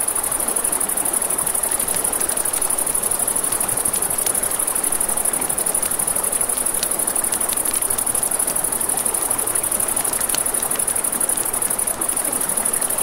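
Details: Crickets at night by a river, a steady high-pitched trilling chorus running unbroken throughout, over the broad rush of flowing water and scattered sharp crackles from a campfire.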